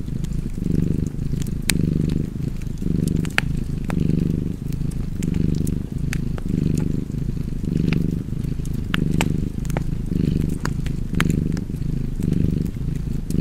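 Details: Cozy cat purr by a crackling fire: low throaty rumble swelling and fading in rhythmic breath cycles, roughly one per second, with bright snaps of burning wood throughout.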